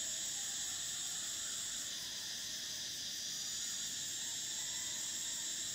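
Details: Summer cicada song: a steady, dense, high-pitched buzzing drone that fills the whole stretch without pause, with a slight dip and shift in the upper tone about two seconds in.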